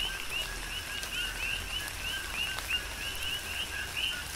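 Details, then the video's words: Coqui frogs calling during a tropical rain shower on the Big Island, Hawaii: overlapping two-note chirps, a lower tone rising to a higher one, repeated several times a second by many frogs, with raindrops pattering throughout. "Tropical Rain & Coqui"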